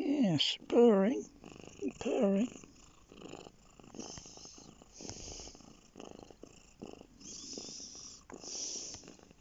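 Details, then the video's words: Bear, a domestic lap cat, purring while resting on a lap; a low, steady rumbling purr fills the second half after a burst of human speech at the start. "Bear lap cat"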